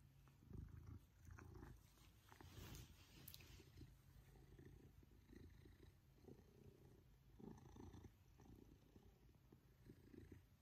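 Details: Maine Coon cat Pippin purrs while being cuddled, delighted with one-to-one attention from his family; a continuous low rumbling purr in rhythmic breaths, with light handling noises and brief quiet clicks on top.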